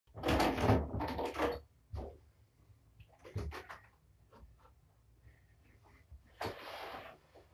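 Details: Door and cupboard knocks and rattles in a small indoor room, followed by quieter shuffling and a faint low hum.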